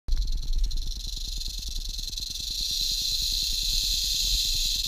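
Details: Western diamondback rattlesnake met on a hiking trail at Wichita Mountain Wildlife Refuge, southwest Oklahoma, filmed with a GoPro on a selfie stick; a steady, high, hissing buzz swells slightly in loudness, over a quick train of low thumping pulses.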